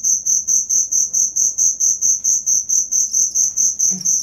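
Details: High, ringing cricket chirps repeated evenly about twice per second, each pulse swelling and fading, played as tutor material for songbirds; light background rustle.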